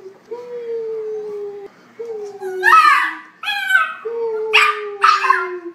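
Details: A puppy from a funny dog compilation gives long, steady, slightly falling whining tones, each lasting about a second. Human voices talk over the later part.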